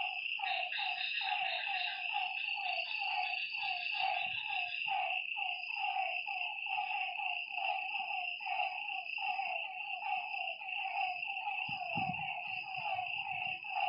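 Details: Frogs calling at night beside a lake: a dense chorus of short, throaty notes repeated about once a second, with overlapping callers and a steady high insect drone underneath.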